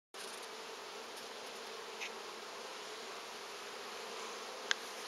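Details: Honey bee hive in August, with workers carrying pollen: a steady, dense, droning buzz of many bees, constant throughout, with a brief faint click near the end.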